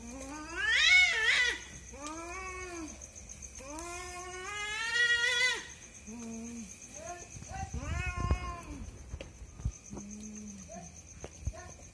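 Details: Two cats fighting at night, a husband and wife pair; loud drawn-out yowls and screeching wails early on, fading into quieter short moans and growly calls, with a thin continuous electrical whine throughout.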